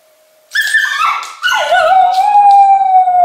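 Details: English Cocker Spaniel Luna, left alone at home in Berlin with lockdown-intensified separation anxiety. Two drawn-out tonal howls: the first wavering, the second dipping then holding a long steady, slightly falling note.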